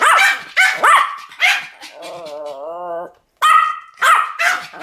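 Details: Two Pomeranians barking in duet: sharp, high yapping barks in quick bursts, broken by a drawn-out, wavering whine for about a second before the barking resumes.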